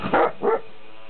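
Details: Leonberger dog during a playdate with puppies, giving two short harsh barks in quick succession, the second slightly lower, followed by quiet room tone.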